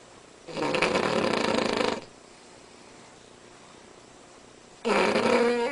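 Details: A Cavalier King Charles Spaniel snores unusually loudly, several decibels above any normal dog; each breath is a harsh, rattling rasp lasting over a second, with quiet gaps of a few seconds between snores in a small indoor room.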